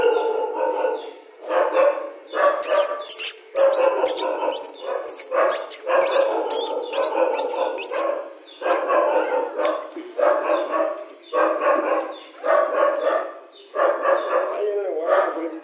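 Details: Rajapalayam dog barking repeatedly in short, fairly even bursts about once a second, some notes drawn out like yelps or brief howls. A rapid series of sharp high clicks runs underneath in the early middle section.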